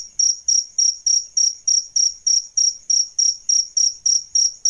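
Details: Adult jangkrik crickets, male and female, as a tutoring sound for songbirds: bright, piercing chirps, around 15 regular pulses at roughly three per second, with a quiet background.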